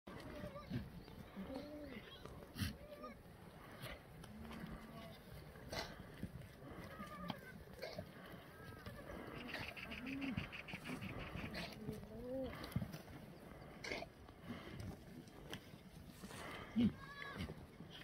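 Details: Black goats on a free-range, antibiotic-free farm on the slopes of Mucheoksan, Sangdong-myeon, Gimhae, South Gyeongnam, on a clear Friday morning in the exercise yard; several goats bleat in short wavering calls, overlapping across the yard, amid steady background noise.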